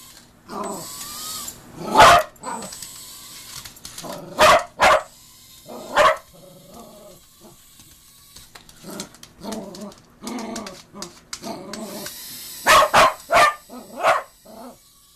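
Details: Cookie, a Cocker Spaniel, reacting to a mini drone with loud, abrupt barks in bursts, some in quick doubles and triples, between softer whining grumbles and low murmuring sounds.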